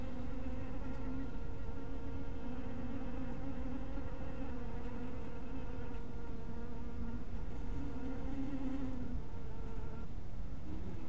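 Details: A continuous hum from honey bees around a bee house at dusk. The low, even drone carries layered overtones that dip and swell across eleven seconds, with a dense low rumble beneath.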